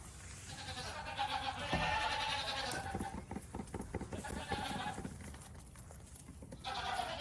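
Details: A domestic goat on a farm lets out a drawn, shaky bleat early on, followed by rougher, pulsing cries and another wavering call near the close, with background rustle and farm noise.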